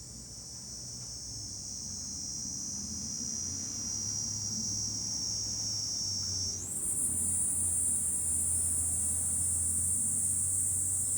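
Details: A July cicada chorus from a high point above Fukuoka City, Japan, swelling in loudness: a sustained high buzz that jumps higher at about six and a half seconds, over a steady low hum.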